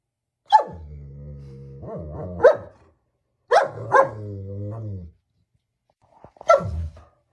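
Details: German Shepherd dog alternating sharp bark onsets with sustained, low, moaning harmonic tones lasting over a second each; about five barks across the recording, the final one short and clipped.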